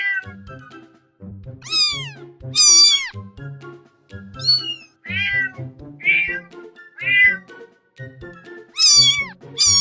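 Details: Domestic cat meowing repeatedly, about seven rising-then-falling meows, some high and drawn out, others short, over steady background music with a low rhythmic beat.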